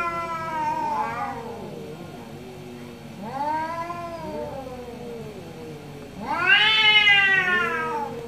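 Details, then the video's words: Two orange cats in a morning exchange of drawn-out, wavering meows. The calls overlap and answer each other, bending up and down. The final yowl is loud, high and strained. "2 Orange Cat Morning Debate"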